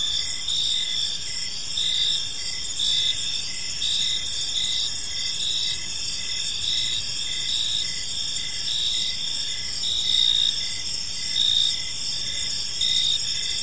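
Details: Park crickets at dusk keep up a steady high chorus, bright sustained trills mixed with pulsed chirps repeating several times every few seconds, no other clear sounds.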